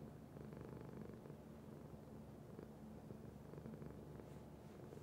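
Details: Low, even purr of a house cat, a vibrating rumble rising and falling with breathing, steady throughout with a faint soft noise toward the end.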